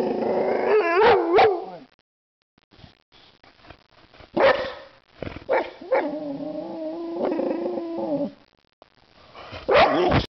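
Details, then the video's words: White Boxer female, aged one, lunging at a can of compressed air: sharp barks, then a drawn-out, steady moaning whine with clear tones, ending in another sudden bark. "Caney the boxer puppy makes some noise"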